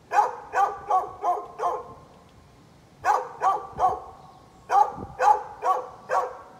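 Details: A neighbour's dog, recorded on 13 November 2020, barks persistently in bursts: five rapid barks, a short pause, three more, then a final run of four. All of the barks are loud and ringing.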